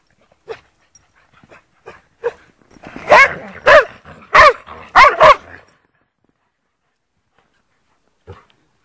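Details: Lurchers playing in the snow at Priory Marina in Bedford: soft scattered yips lead into a burst of five loud, sharp barks in quick succession, then quiet and one last faint yip.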